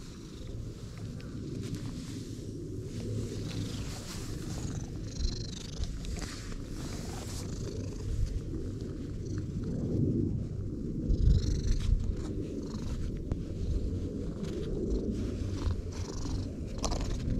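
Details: Stray cat purring soon after first meeting a person: a steady low rumbling drone held throughout, with light rustling and handling noises on top.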